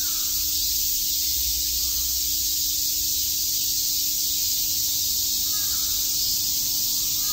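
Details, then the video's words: Chirping cicadas in Tokyo's Shakujii Park on a summer day, blending into one loud, steady, high-pitched buzzing hiss without gaps, over a soft constant low hum. "Cicada chirps"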